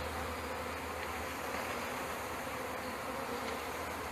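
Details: Honey bees from a package being installed into a hive in May 2013, a steady dense hum filling the whole clip, with a low droning band underneath and broadband hiss above.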